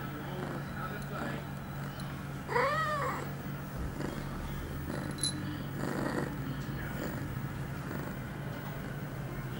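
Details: Female cat, eight months old, in heat, recorded September 23, 2011, two hours after her first birth control pill. A single arching meow-like call around mid-clip over steady electrical hum, with a person's voice afterward.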